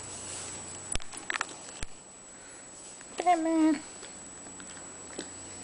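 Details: A French Bulldog playing with his toy gives a short, wavering, nasal whine amid light tapping and a person's voice.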